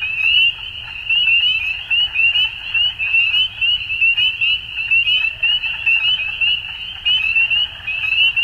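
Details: Frogs calling at dusk, a dense chorus of high, rapid trilled notes overlapping continuously, with louder pulses surging roughly once a second and a faint low rumble beneath.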